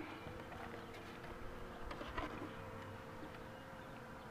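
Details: Honey bees around a hive as the queen box is pulled out: a steady, soft droning hum with a faint, even tone throughout and light rustling on top.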